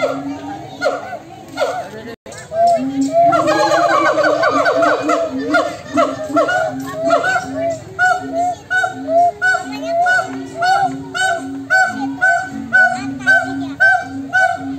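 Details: Monkeys answer each other back and forth. A brief pause gives way to a burst of rapid, tumbling whoops, then regular low hoots and harmonic calls repeat about twice a second until the end.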